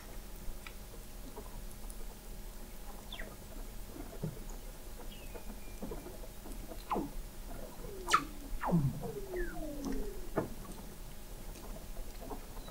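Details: Weddell seals under the sea ice of McMurdo Sound, Antarctica, November 2017, heard from an observatory 21 m below the ice; scattered quick downward chirps and knocking pulses over low rumbling background.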